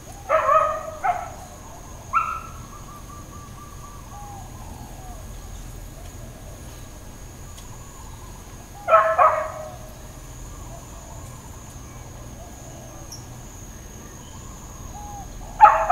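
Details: Dogs barking in Hawaiian Paradise Park, Hawaii, on Labor Day, September 2, 2024, part of long intermittent neighbourhood barking; short clusters of sharp barks near the start, again around nine seconds and at the end, with a steady high insect whine and faint bird chirps between.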